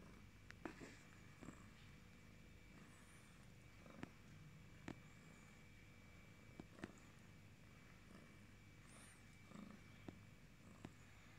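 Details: A yellow British Shorthair cat purring softly, a low steady rumble with faint clicks and rustles.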